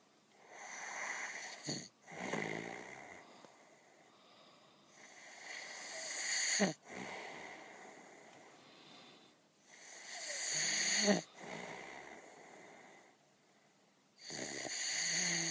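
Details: Bear snoring while asleep in the woods at Chilliwack Lake: rough, breathy snorts and long noisy breaths come in bursts a few seconds apart, with quieter hissing gaps between them.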